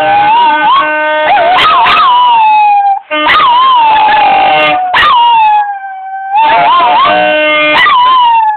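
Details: Two dogs howling along to a saxophone: long wavering howls slide up and down in loud bursts broken by brief pauses, mixed with steady held saxophone notes.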